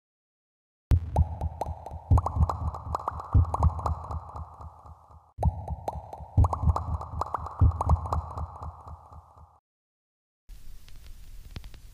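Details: Music plays in short bursts, with a steady throbbing low beat, sustained tones and gaps of silence.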